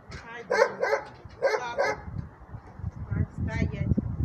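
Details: Alaskan Malamute during training, barking in a quick run of four sharp barks in the first two seconds, then more scattered barks, with background noise.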